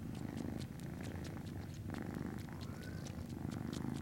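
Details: Norwegian Forest Cat kittens at a cattery, recorded 19 January 2017; a steady, low rumbling purr runs throughout with a regular pulsing rhythm, brief faint clicks and a short high whine above it.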